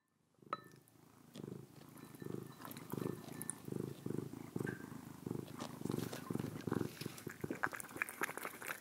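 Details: A cat purring while eating, with pulsing low purr bursts roughly every half second, mixed with wet chewing and licking clicks throughout.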